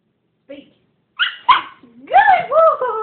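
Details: Siberian Husky being taught to 'speak' on command: a brief spoken word, then short yelping bursts followed by a wavering rising-and-falling talking howl. Praise from a person surrounds the calls.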